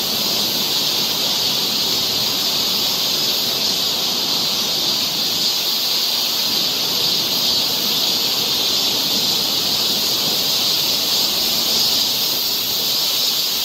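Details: A steady shrill hum of cicadas on a forest trail near Seoul during the Korean summer, level and continuous throughout with no other clear sounds.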